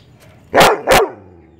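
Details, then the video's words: Labrador Retriever, a male annoyed by chirping birds, gives a quick pair of loud, harsh barks in under half a second. Quiet background noise follows. "Labrador dog barking hardcore"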